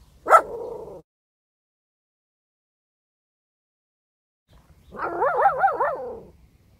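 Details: A Cavalier King Charles Spaniel puppy barks on a spoken command to bark. Each bark is a high, drawn-out, warbling yelp that wobbles up and down in pitch.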